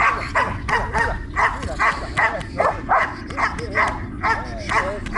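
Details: Belgian Malinois named Trueno barking during guard and protection training in Zumpango, State of Mexico: a steady run of sharp, forceful barks, roughly two or three per second, with a trainer's voice and ground noise underneath.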